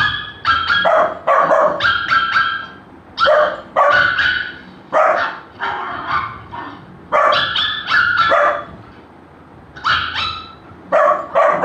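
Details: A Golden Retriever puppy reacts to the sound of barking with sharp, high barks in quick runs of three or four, with short pauses between.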